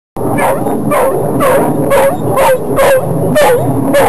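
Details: Dog whining: short, high, squeaky whines with a slight bend in pitch, repeated about twice a second, each joined by a breathy, noisy burst over a steady background hiss.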